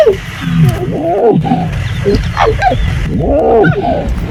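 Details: Wild lion cubs of the River Pride in Mara North Conservancy, Maasai Mara, Kenya, making raspy, hoarse squeaks: overlapping rising and falling squeals and chirps, several per second, with low rumbling background noise.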